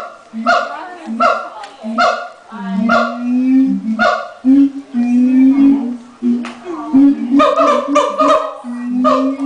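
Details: ['Captive siamangs at the LA Zoo calling just before lunch time, the male leading: deep steady booms alternate with sharp, ringing barking notes repeated about every half second, then a rapid burst of barks at the end.']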